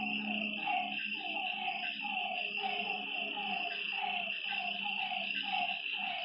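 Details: Frogs calling at night beside a lake: a chorus of short, nasal croaking notes repeated roughly twice a second, overlapping one another, under a steady high, shrill insect buzz and a faint low drone.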